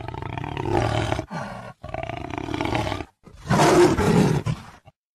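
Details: Jaguar giving three deep, rasping roars, each about a second long and separated by short pauses, the final one loudest and most harsh.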